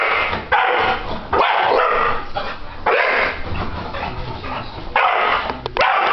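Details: Ceiling fan switched on sets off a four-year-old English Bulldog male: long, raspy, strained barking and whining bouts lasting about a second each, separated by brief quiet gaps, in a room.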